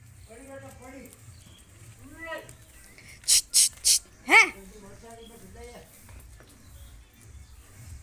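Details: Sirohi goats, young kids and adult does, on a goat farm: several nasal, quavering bleats rise and fall in short cries, broken by three sharp hissing bursts midway, over a steady low background hum.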